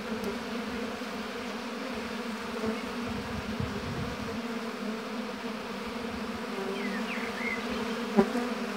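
A steady, droning hum of many honey bees buzzing together at the hive.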